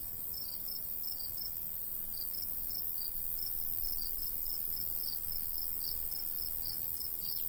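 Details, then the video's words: Crickets calling in the summer countryside beside golden wheat, with short, bright chirps repeated almost four times a second, briefly faltering then resuming, over a high hiss and faint breeze. "Countryside/cricket sounds"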